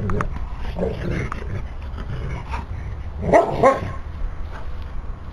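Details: Otterhound puppy playing and romping in a garden with two other dogs: a few short, loud barks and yelps around the middle, with low panting and rustling before and after.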